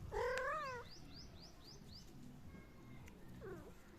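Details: Domestic cat calling while playing: a loud, drawn-out meow with a wavering pitch opens, followed by a quick run of faint, short rising chirps and a softer, brief meow near the end, over a low background hum.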